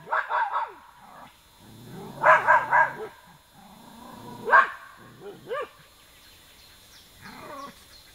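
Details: Irish terrier barking in brief, tonal yelping volleys, a triple burst then single barks, fading to whimpering yips, with a person's quiet voice in the background.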